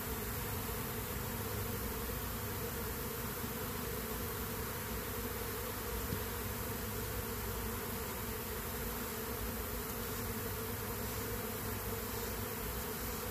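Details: Honey bees from a stronger colony robbing a weak, queenless colony; dense continuous buzzing hum, steady and low throughout, with a constant drone of many bees.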